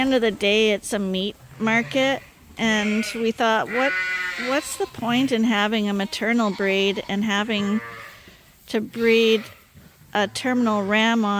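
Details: Several lambs at Ewetopia Farms, still nursing from their mothers but topped up twice a day on a hand-made bottle feeder, bleat in wavering, quavering cries that overlap one another in quick succession, with short pauses between bursts.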